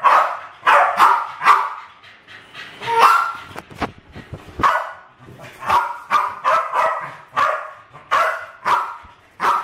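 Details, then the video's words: Pet Westies Alfie and Crystal, two terriers about seven and eight years old, playing with balloons indoors in a kitchen in 2012; repeated high, snappy barks with brief pauses, some thuds between. "My Westies playing with balloons!"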